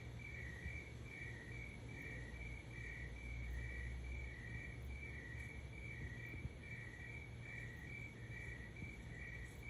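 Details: Crickets chirping at 3 am, a continuous train of short chirps alternating between two close pitches at a steady pace, with a low hum and faint rumble underneath.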